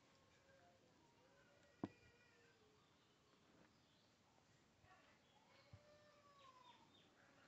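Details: Tiny baby kitten giving soft, thin meows that arch up and fall away, several in a row, with one sharp click early on against a quiet indoor hiss.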